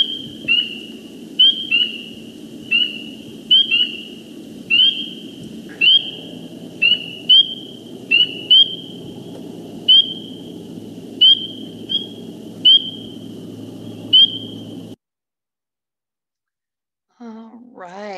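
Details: Small group of spring peepers in Iowa chorusing: high, piercing, upslurred peeps overlapping at an uneven rhythm.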